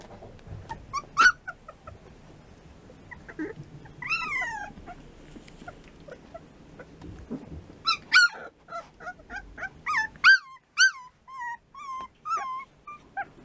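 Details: Three-week-old American Bulldog puppies making high, thin whimpers and yips, scattered at first and then coming in quick rising-and-falling bursts, over a soft background hum.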